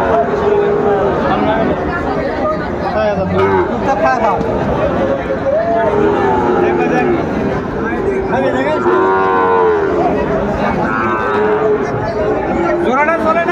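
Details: Lowing from Sahiwal bull calves at a Comilla cattle market, Bangladesh, 18 October 2024. Several long, level moos repeat through the clip, one after another, above constant murmuring voices of the crowd.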